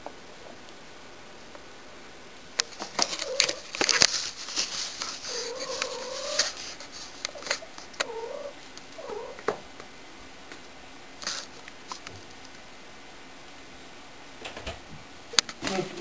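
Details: Indoor pet cat Shy, said to be acting annoying, lets out a run of brief bending meows scattered among clattering knocks and household rustling.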